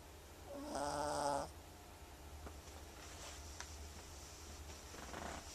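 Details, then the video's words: Lotus the cat snoring: one raspy, harmonic snore lasting under a second near the start, then quiet room hum with faint clicks. "Lotus Snores"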